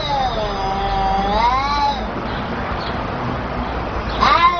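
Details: Kittens talking: one long wavering meow with rich harmonics that dips and rises over nearly two seconds, then a quieter stretch and a short sharp meow near the end, with low background hum.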